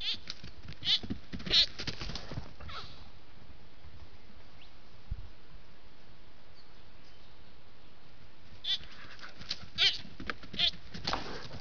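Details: Spiky young sambar stag vocalizing on a trail camera while a group of deer moves past: clusters of brief, harsh, high bleats early on, then silence, then another run of repeated bleats near the end.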